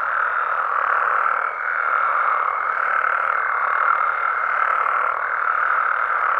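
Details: Night chorus of frogs and toads in Mexico, natural habitat; dense overlapping croaks swell and dip gently, with a faint thin high tone running underneath.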